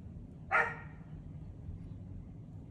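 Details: Sawol, a female poodle, reacting after nearly catching a squirrel: a single short, sharp bark rises out of a low steady background rumble, then quiet.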